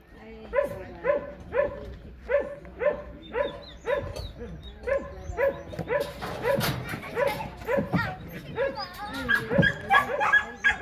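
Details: Excited Border Collie during frisbee play, giving rhythmic barks about twice a second at first, then a denser mix of yips and whines with a person's voice in the background.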